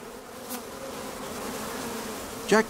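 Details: Honey bees at a hive near Clonakilty in West Cork: a steady low droning buzz with layered harmonic bands throughout, then a short louder sweeping buzz at the very end.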